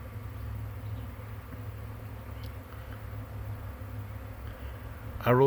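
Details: Swarming honey bees near a hive on May 9, 2023, making a continuous low, even hum, with a person's voice cutting in briefly at the very end.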